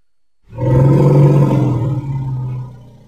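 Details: Baby elephant playing, a single deep, rough roar lasting about two seconds that starts abruptly, holds steady and fades out.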